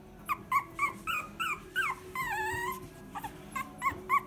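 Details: Pet-shop puppy crying in rapid high whimpers and yelps, several per second, with one long wavering whine in the middle; steady low hum underneath.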